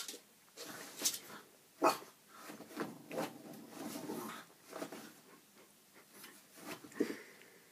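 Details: A 5-month-old French Bulldog puppy, scared of itself in a mirror, gives short, uneven yips and grunts with quiet pauses between.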